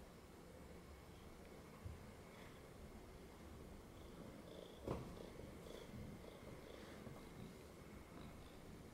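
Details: Cat resting on someone's lap after jumping up, giving a low, continuous purr with gentle pulsing, and a couple of brief soft knocks or rustles.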